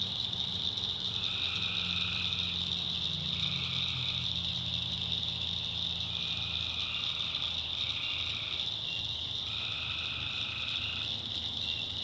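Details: After dark in the North Carolina backwoods, tree frogs call in short repeated trilled phrases about a second long, set against an unbroken shrill insect drone with low croaking hums below.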